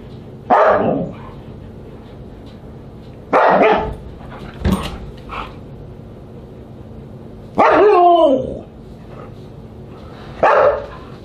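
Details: Siberian Husky at a dinner party, July 24, 2022: isolated loud barks spaced a few seconds apart, one stretching into a short descending howl-like yowl, with quiet gaps between.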